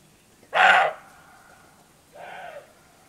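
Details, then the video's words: Wild roebuck in Bulgaria's Rhodope Mountains barking before nightfall, bucks calling back and forth. One loud, rasping bark is followed about a second and a half later by a softer, more distant bark. "Roe Deer Barking/Сръндак лае"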